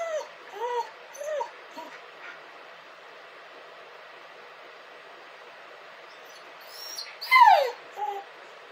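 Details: Crying dog giving a few short arched whimpers at the start, a long quiet gap, then a louder rising-and-falling whine with yelp-like overtones near the end, followed by a softer whimper.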